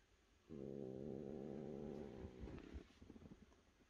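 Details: A cat gives a low, steady, droning yowl that holds for about two seconds and then stops. Soft clicks and rustling follow the call.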